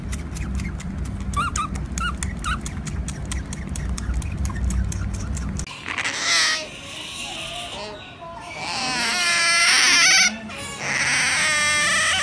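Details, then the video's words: Baby otter, apparently kept as a pet. Rapid clicking and a low rumble fill the first half, then loud, high-pitched, wavering squeals with rich harmonics arrive in strained bursts, one sharp break near ten seconds. "Cutest Baby Otter Videos Compilation"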